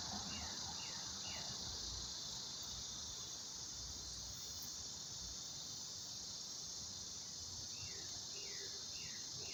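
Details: Cicadas in July, newly emerged from the ground and just starting their summer singing, give a steady, high, hissing drone expected to grow louder, with a few short bird chirps at the start and end.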